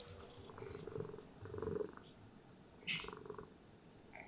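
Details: Cat; purr; contentment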